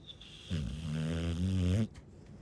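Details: Snoring from a Chow Chow, one drawn-out, loud, droning nasal snore with steady rippling harmonics lasting over a second.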